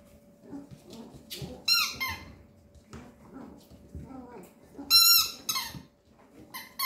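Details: A 13-day-old male Papillon puppy squeaks indoors: short, high, harmonic-rich squeals come in scattered pairs and clusters, separated by quieter gaps with faint soft rustling and low room noise.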